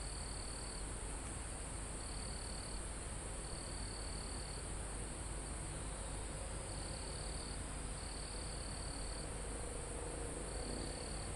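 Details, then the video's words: Crickets and insects near a mountaintop forest, live field recording amid calm wind through leaves and trees; sharp high trills lasting about half a second to a second recur irregularly above a constant shrill insect drone and heavy low wind noise. "Calm Forest in Mountain With Crickets, Insects Sound"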